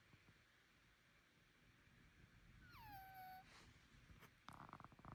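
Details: Bengal cat with suspected illness or nasal congestion giving one strange sliding call that falls and flattens into a held tone, followed by a burst of rattling clatter.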